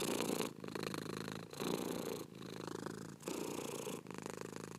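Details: Domestic cat purring in a long relaxation recording: a steady, rumbling buzz in broad pulses, each breath phrase lasting about a second with short quiet gaps between.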